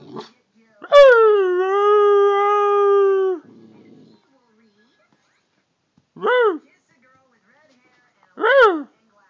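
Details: A female Siberian Husky 'talks' back to her owner with a long, drawn-out, whining yowl, then two short rising-and-falling yips.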